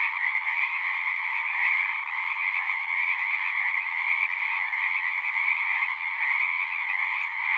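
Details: Pond frogs in a horse pasture, captured on a Zoom 6, keep up an unbroken massed chorus of buzzy, overlapping trills at a steady level for the whole stretch.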